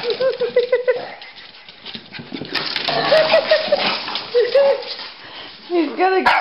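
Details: Rocky and Bully, a Pekingese and a Bulldog, chasing each other in play; a rapid string of high yipping barks opens, then scattered whiny yelps over scrabbling noise and a person talking.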